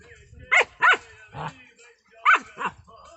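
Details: German Shepherd puppies playing in Assam let out five short, sharp yapping barks in two pairs and a single, with quiet pauses between them.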